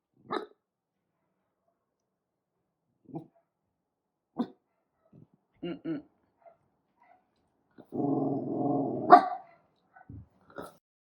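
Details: Senior dog Tiny, 13, with a heart murmur, hair raised on 7/9/23: scattered short clicks and huffs, then a rumbling growl of about two seconds broken by one sharp bark, followed by a few soft sounds.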